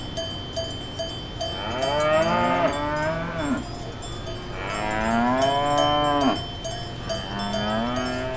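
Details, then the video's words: Real cows mooing on a farm: three drawn-out, throaty moos, each swelling and then dropping in pitch, roughly two seconds apart, with constant bright cowbell clanking in the background. "Funny Cow Sound for Kids"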